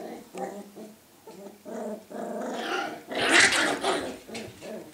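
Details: Scottish Terrier puppies growling indoors: short rough, low harmonic grumbles in quick pulses, building into a longer rumbling growl, then a louder, harsher burst like a bark.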